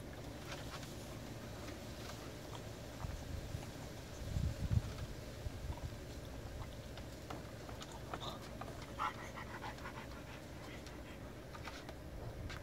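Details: Zoey, a three-year-old special-needs French Bulldog who overheats within ten minutes in 90 degree heat, cooling off in a freshly filled ice-cold kiddie pool; soft, steady panting breaths under a woman's gentle, soothing voice.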